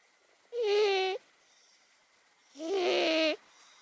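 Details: Asleep, 18-year-old cat Momo gives two long, loud snoring breaths, each a buzzy voiced drone under a second long, separated by a short silent pause.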